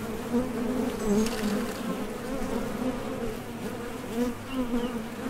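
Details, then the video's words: Honey bees landing at and leaving a top bar hive entrance on nectar trips; a constant low hum with wavering pitch as individual bees buzz nearby, louder around the first second. "HONEY BEES Sound Effect #MasonJar | BEES BUZZING"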